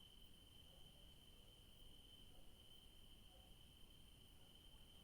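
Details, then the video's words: Evening crickets in a garden with yellow daisies: a continuous, level, shrill trill without pauses, set against a faint low-frequency outdoor hum. "Sounds of crickets in the garden in the evening"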